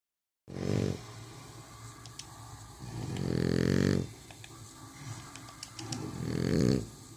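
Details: French Bulldog asleep, snoring while rubbing its muzzle in its sleep: three rumbling, nasal snores about every three seconds, the middle one longest, with quiet breathing between.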